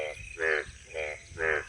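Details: A frog, its throat sacs inflating, gives short, nasal, buzzy croaks in quick succession, about two every second, in village fields with standing water after light rain in Boishakh (April–May).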